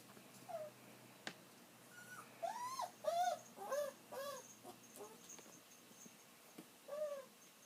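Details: An elderly pet dog whines while waiting for its owner to come home, which it usually does until the owner returns; thin, arching whimpers rise and fall in a quick cluster midway, then one more whine near the end, over a quiet room.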